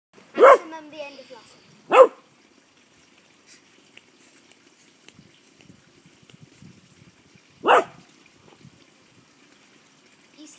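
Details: Rhodesian Ridgeback puppy in a yard, playing with a tortoise that wandered in; three sharp barks, two close together near the start and one after a long pause, with faint rustling between.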